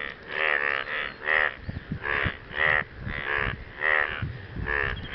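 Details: Frogs calling for partners following rain give grating, pulsed croaks, each about a third of a second long and roughly every half second, while soft low knocks sound in the background.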